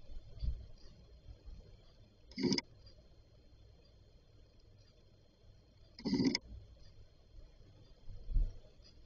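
A Yorkshire terrier talks in its sleep with two short, muffled woofing bursts in a quiet room.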